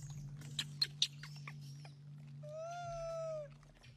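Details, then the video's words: Hungry baby monkey crying because its mother will not give it fruit; a few sharp clicks, then one drawn-out, slightly falling tonal wail of about a second, over a steady low hum. "BABY MONKEY HUNGRY AND CRYING"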